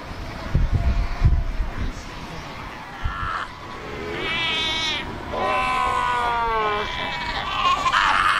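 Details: Cape fur seal colony at Cape Cross on the Skeleton Coast, more than 100,000 animals among rocks by the ocean; after low rumbling thumps, loud wavering bleats arrive in a few drawn-out, quavering calls, overlapping near the end.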